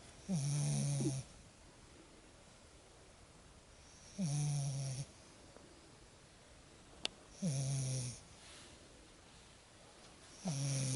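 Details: Lexa, a Lagotto Romagnolo puppy, asleep after her first exciting walk in the woods, snoring: four buzzy, droning snores about every three and a half seconds, with a faint hiss between them and one sharp click.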